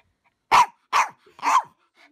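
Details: Pet dog barking three times, each bark short, harsh and forceful, spaced roughly half a second apart, with near silence between them.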